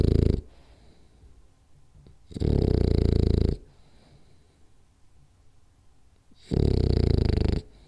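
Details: French Bulldog named Rolly asleep and snoring hard through a nap, three heavy, low rasping snores each lasting about a second, spaced by nearly silent gaps of three to four seconds in a small room.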